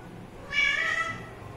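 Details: Single short, bright meow from a kitten linked to drinking water, lasting under a second, steady and high with a slight fall at the end, over faint low room noise.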